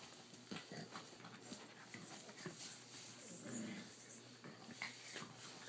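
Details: A Boston Terrier father plays with his puppies, a 3-month-old blue female and two 5.5-week-old pups, with small growls, whimpers and scuffling.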